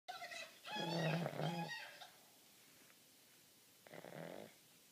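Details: Sleeping pug with its eyes open, snoring: a loud rasping snore of about one second with a low buzzy hum, then a quieter pause and a second, shorter snore near the end.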